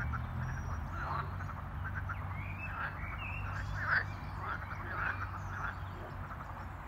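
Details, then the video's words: Several frogs croak in spring on Easter day in a natural park area near Geneva airport, giving short, overlapping croaks and clucks over a low steady hum. "Frogs croaking in Spring"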